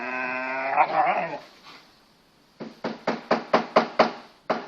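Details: Two Kangal-type Anatolian Shepherd dogs playing in a garden, a 6-month-old pedigree male puppy and an 18-month-old female collie cross; a harmonic whine with a warbling growl, a pause, then a run of seven sharp barks.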